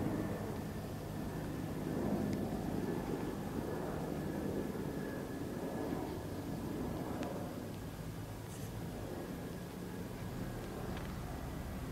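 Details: Steady rumble of vehicle or aircraft engine noise fills the background, with no animal voice heard.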